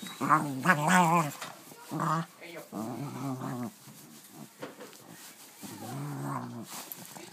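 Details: Dog excited over a new play toy, making odd alien-like noises: warbling, moaning growls in bursts of about a second, separated by quieter gaps and soft rustling.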